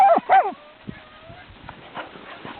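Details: Yakutian Laika puppies: two sharp, harmonic-rich yelps in quick succession, followed by a faint, thin, drawn-out whine over quiet rustling.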